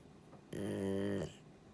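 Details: Jiji, a male rescued Labrador-Schnauzer mix dog, snoring loudly while asleep indoors; a single drawn-out rumbling, harmonic-rich snore lasting under a second, with quiet room tone before and after.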